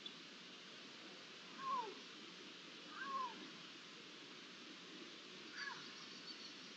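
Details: Iberian lynx calling, recorded 11 September 2023: three short, downward-sliding cat-like calls spaced a second or more apart, fairly faint against a constant broad hiss.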